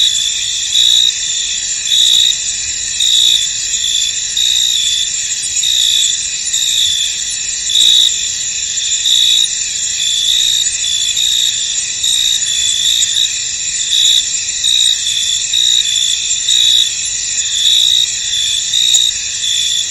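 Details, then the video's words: Many crickets sing in a fog-covered field, a constant high ringing wall of chirps with slight rhythmic swells in loudness and a few faint clicks, nothing else standing out. "Tranquil Cricket Sounds In An Misty Field"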